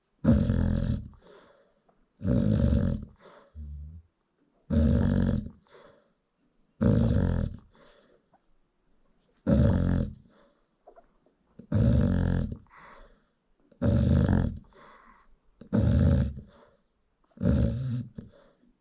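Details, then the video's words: Peacefully snoring American Bully mom nursing newborn puppies in a South African kennel; regular coarse, low snores about every two seconds across the stretch, some trailed by brief fluttering outbreaths. "Newborn American Bully Puppies Feeding While Mom Snores"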